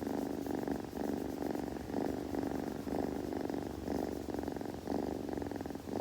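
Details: Purr of a young kitten recorded up close, possibly during grooming: rhythmic low rumbling bursts alternating with brief softer gaps, repeating about twice a second in a quiet room.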